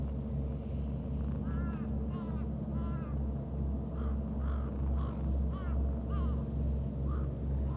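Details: Stray cats jostle to be stroked: a heart-marked calico and a tuxedo cat with mustache-like markings. A quick run of around ten brief, bending meows plays out over a constant deep droning hum.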